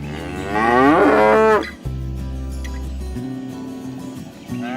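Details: Cows roaming village fields, calling their friends to come home to the barn; one loud, long moo that swells and then drops, followed by steady background music.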